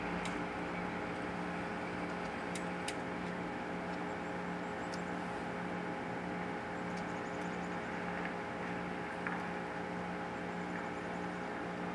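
Only a steady mechanical hum and engine-like drone with a few faint clicks; no animal calls stand out.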